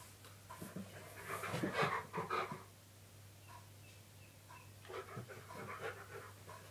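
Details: Indoor pet dog at play in a hide-and-seek game with its owner; soft, rapid panting and sniffing puffs, loudest early then fainter in short bursts, over a steady low electrical hum.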